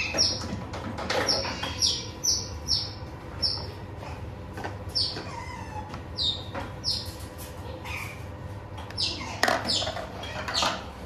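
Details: Friendly, curious baby otters at an indoor otter cafe in Ikebukuro, Tokyo, climb onto a visitor's lap and give shrill, high chirps that slide downward, one after another, over a low indoor hum.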